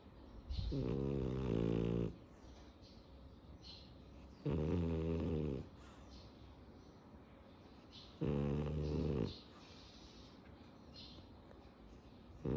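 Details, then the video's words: French Bulldog snoring while asleep; three harsh, buzzy snores of roughly a second and a half each, evenly spaced about every four seconds, with soft breaths between. "Snoring away the day"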